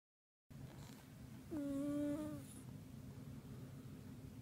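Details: A pet cat at home snoring in deep sleep: one tonal, nasal whistle-like snore about a second long, steady and slightly falling at the end, over a low constant hum.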